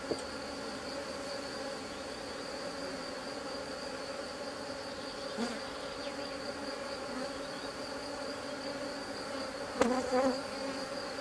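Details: Honey bee colony, a drone-laying hive under rescue, droning in a steady low hum with layered tones while frames are handled; two brief wooden knocks near the middle and the end.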